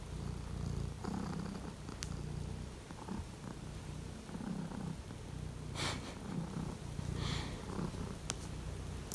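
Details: Home-kept Siberian lynx purring indoors on a cold morning while Misa investigates a shelf; a rumbling low purr pulses steadily, broken by brief rustles and a couple of sharp taps.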